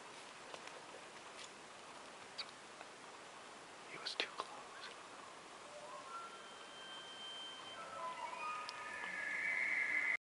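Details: A bull Arizona elk at two yards' range during a hunt begins a bugle as a high, rising whistle after soft rustling and whispered voices.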